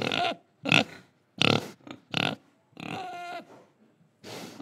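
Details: Pig in Indonesia oinking: six loud harsh grunts and squeals in under five seconds, separated by short silences, one longer squeal with a wavering nasal tone.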